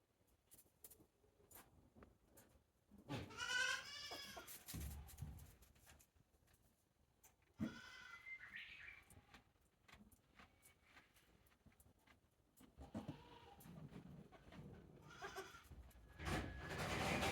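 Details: Newborn goat kid, one day old, at Yoshigake farm in April 2024: a strong quavering bleat early, then a higher, shorter cry and a softer one later, with shuffling, knocks and handling noise between them.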